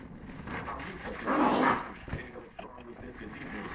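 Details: Virginia, an angry three-month-old female Lhasa Apso puppy, lets out a short, harsh, loud growling bark burst midway, followed by softer snuffly noises, with people talking over her throughout.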